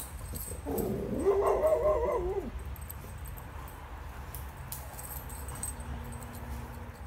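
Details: Golden Retriever, let out into a yard, vocalizing at a deer across a fence: one drawn-out, wavering, whine-like bark lasting nearly two seconds, falling away at the end, followed by quiet, over a steady low outdoor rumble.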